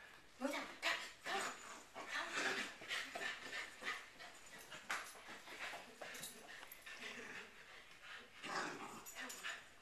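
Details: Corgi giving short, sharp yelps and barks in quick irregular bursts with faint whimpering between them, while human voices talk over much of the recording.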